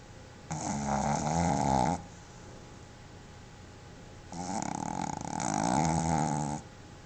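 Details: Pepe, a pet Boston Terrier, snores while asleep at home with tongue out and eyes open. Two long, rasping snores, each lasting about two seconds, are separated by a quiet breath in a small indoor room.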